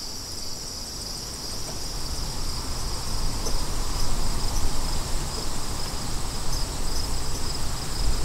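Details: Crickets keep up an unbroken shrill chirping chorus while deep wind noise dominates and grows stronger in the second half.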